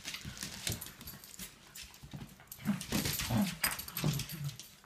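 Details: Three Shelties play-fighting on a deck early on a Sunday morning: short, low, rough growls and grumbles come in bursts over a constant scuffle and clatter of paws.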